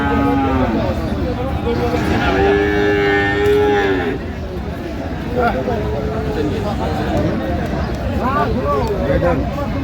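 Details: At Aftabganj cattle market on 30 December 2025, Friesian and crossbred bull calves low: a short moo, then a sustained steady moo of about two seconds, followed by quieter bellows under constant crowd talk.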